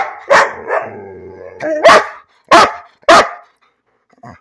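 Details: Bean the dog barking for no reason: a wavering, groaning vocal run that breaks into three loud, clipped barks spaced about half a second apart.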